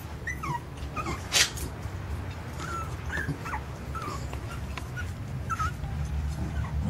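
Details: Jack Russell Terrier puppies whimpering: short high squeaky yelps and whines, some rising or falling, repeated irregularly every half second or so, with one louder sharp yelp, over a constant low hum.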